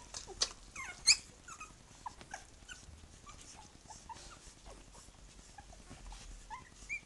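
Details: Litter of three-week-old puppies with their mother, calling loudly: many short squeaky whimpers and thin upward-sliding yelps, some very high and piercing, scattered irregularly over a faint indoor background.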